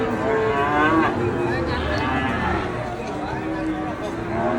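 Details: Enraged Indonesian cattle lowing amid heavy background clamour; short strained moos and a rough rising bellow sit under constant crowd noise.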